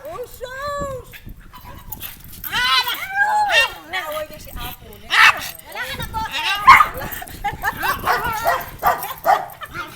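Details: A black pug barks excitedly after meeting an unfamiliar dog, mixing sharp yaps with whining, warbling noises while a person talks nearby.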